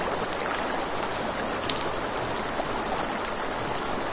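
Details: Night crickets near a river produce a shrill trill, beating rapidly at about a dozen pulses per second. Campfire crackles and flowing-water noise run beneath it.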